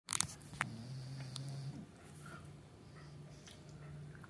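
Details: Meatloaf, an English Bulldog, asleep on a cushion and chair, gives low, rough snoring rumbles, one long drawn breath near the start, then softer, steady snorts with faint clicks and rustles in a small indoor room.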